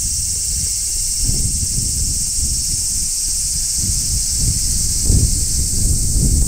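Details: Wild large brown cicada singing on a tree in summer: an even, sustained high-pitched drone continues without pause while nearby rustling and soft low bumps come and go.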